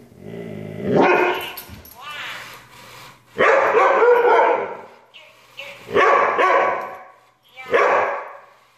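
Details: Siberian Husky giving drawn-out, wavering howls and yowls in several long harmonic bursts with short pauses between, with human voices nearby.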